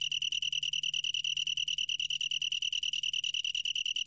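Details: Long-tailed tree cricket, recorded in 2020 by the National Institute of Biological Resources. It produces a rapid pulsing, ringing high-pitched trill that continues without pause. A quiet low hum is heard at first and then drops away.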